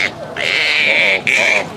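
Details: Green monkeys in a fight give loud, shrill, sustained screams in two bursts, high-pitched and harsh with a strong tonal band, the second starting after a brief break.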